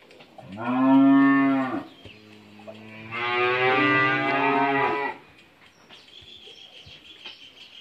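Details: Two moos from a Friesian heifer calf, 11 months old, at a dairy farm in Bhangura, Pabna, Bangladesh. The first is loud and over a second long, and the second is longer and brighter. A quiet pause separates them, followed by faint background noise.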